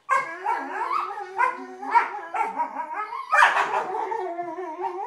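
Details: Rough play between Vizslas: continuous groaning, howl-like growls and barks that rise and fall in pitch, with a louder strained outburst midway and hardly any pause.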